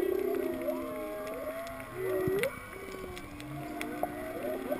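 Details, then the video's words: Underwater at Kaanapali, 19 feet down beside a coral-covered sailboat keel on a free dive, whales give wavering moans and short upswept whoops, layered and overlapping, while steady reef crackle and scattered loud clicks fill the background. "Whale and Reef Sounds at Kaanapali"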